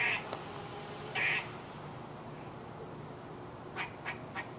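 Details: Squirrel giving two loud, rasping, duck-like barks about a second apart, followed by three faint, brief clicking notes near the end against low steady background noise.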